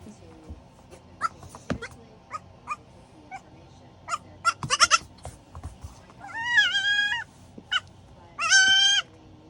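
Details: Four-week-old goat kid fussing to be tucked in to sleep in a slipper: scattered soft clicks and rustles, then two drawn-out, wavering, nasal bleats about a second long near the end.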